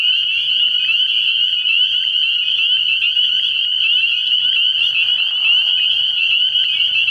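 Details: Night chorus of spring peepers at a frog pond early in the year, countless high piping notes overlapping into a continuous shrill whine, with a soft low rumble and a brief muffled noise near the fifth second.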